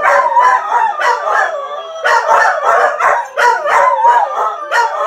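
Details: A dog reacting to videos played to make dogs howl gives short, bending howls and yips in rhythmic clusters about every second, with layered, quavering tones.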